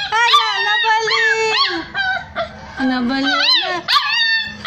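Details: Hungry street puppies searching for their mother give long, wavering, howl-like whines. The cries slide up and down, and one drops low, in a steady, pleading sequence.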